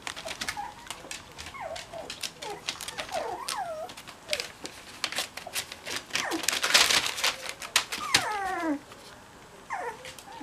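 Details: Cocker Spaniel puppies give thin, high whimpers that slide up and down in short bursts while being cuddled.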